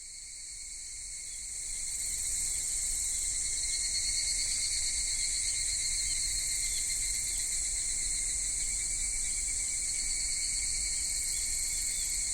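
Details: Cicadas of a Japanese summer in Kitakami, at Michinoku Folk Village and Kitakami Tenshochi, minmin-zemi by day, higurashi toward evening: a shrill whirring chorus swells in over the first two seconds, then holds a steady, piercing layered drone.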